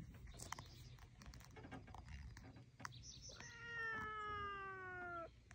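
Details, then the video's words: Willy Winston, a chatty male rescue cat visiting the docks, gives one long, drawn-out meow of nearly two seconds. The tone is steady and harmonic and sags slightly at the end. Earlier there are scattered outdoor clicks and knocks. "Chatty Cat visits the docks"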